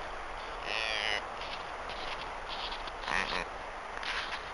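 A deer gives two harsh, hoarse barks, a few seconds apart.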